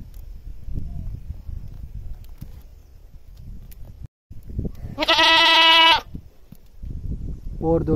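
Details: Goat screaming loudly: one long, loud, strained bleat of about a second, harsh and richly harmonic, rising out of a low rumbling background with faint distant voices before and after.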